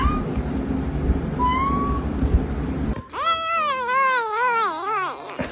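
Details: Domestic cat making funny sounds: a long, wavering yowl whose pitch rises and dips several times over about two and a half seconds, after a stretch of loud noisy background.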